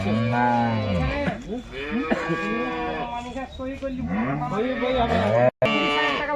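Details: Several Jersey cattle at a wholesale market lowing in overlapping succession, each moo arching up and falling away, roughly one per second, with faint music and market noise beneath.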